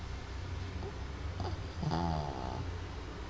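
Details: A single short, rasping snore from BB the dog, worn out after a long day, rises out of a steady low indoor drone.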